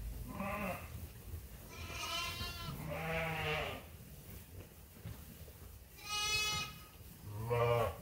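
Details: Sheep awaiting feed at Ewetopia Farms, a run of six bleats from several animals, some deep and wavering, others high and strained, spaced a second or so apart over low farm noise.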